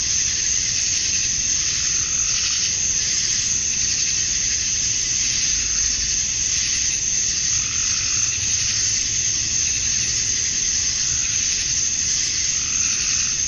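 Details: Male cicadas singing to attract females at dusk on a summer night in Georgia, USA; a continuous piercing drone with faint pulsing swells, plus sparse very high ticking notes above it.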